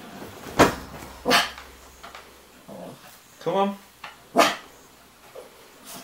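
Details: Wilson, a pet dog, indoors at home barking at the household gerbils as if telling them it is bedtime; several short, sharp barks spaced about a second apart, with a person's voice in between.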